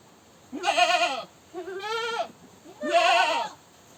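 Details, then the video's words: Goat screaming: three loud harsh bleats, each wavering and about half a second to a second long, with the middle one softer and rising then falling in pitch. "Goat Sounds & Goat video, The Sound A Goat Makes, Animal Sounds, Goat Screaming"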